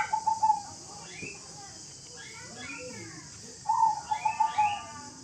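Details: Angry kitten reacting to coughing, giving short, wavering, mid-pitched mews at the start and a louder stuttering run of cries near the end, with faint voices between.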